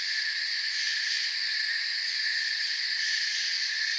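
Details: A forest cricket chorus forming a constant, high, ringing hum of overlapping chirps, steady and dense from start to finish with fine rapid pulsing on top.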